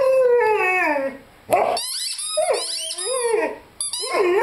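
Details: Lyle, a young Rhodesian Ridgeback of five months, lets out a smooth howl sliding steadily downward, then joins the shrill squeaking of his chicken toy with looping, rising-and-falling howls.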